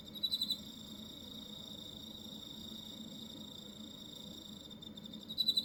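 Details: Cricket in Hokkaido, Japan: a steady high-pitched ringing trill runs throughout, with a louder burst of about four quick chirp pulses at the start and again at the end.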